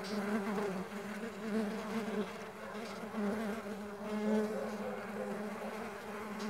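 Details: Mandaçaia stingless bees flying, a steady buzzing hum with a strong low tone and stacked harmonics, swelling and fading as bees pass close.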